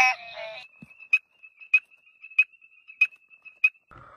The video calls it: suara suara katak